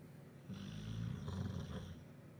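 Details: Duke the bulldog in Huddersfield, asleep and snoring after a chicken curry: one low, rough, rumbling snore lasting about a second and a half, with a faint breathy hiss above it.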